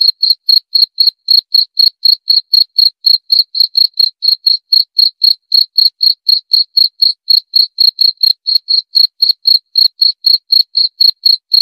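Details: Long run of cricket chirps, about forty-five short high pulsed bursts at a steady four per second, monotonous and regular, nothing else audible.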